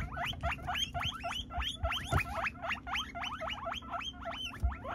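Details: Guinea pigs indoors while a Peruvian guinea pig gets his first haircut and the others eat vegetables; a rapid series of squeaky, upward-sweeping chirps repeats about three times a second over a steady low hum.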